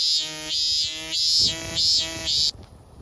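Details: Minminzemi (robust cicada) singing loudly: a run of bright, strongly harmonic pulsing notes, each swelling and falling about every half second, with a steady high whine beneath, then cutting off abruptly near the end.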